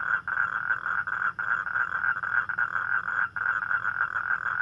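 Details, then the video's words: Night-time toad chorus, calling for mates as on rainy nights: a dense, buzzing trill held almost without pause, with a few short gaps and faint high ticking above it. "เสียงร้องคางคกตอนกลางคืน | The Sound Of Toad At Night"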